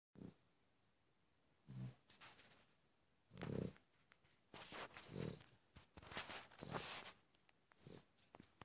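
A Cavalier King Charles Spaniel snores in low, rough rumbles that repeat every couple of seconds.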